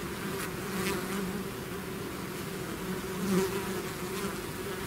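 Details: Bees swarming out of their hive make a continuous layered hum, low tones steady and unbroken, with a slight swell midway as one insect flies near.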